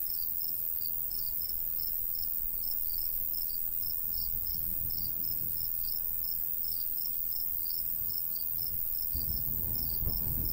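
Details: Crickets in a golden wheat field in the summer countryside, with a light breeze. High, rapid chirps repeat steadily, roughly four per second, over a low rumbling wind that swells toward the end.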